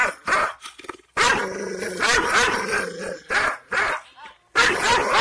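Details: Kangal Shepherd Dog (Malaklı type, Aksaray, Anatolia) barks aggressively at unfamiliar strangers to guard its owner's property: deep, harsh, angry barks in loud bursts, with growling between them.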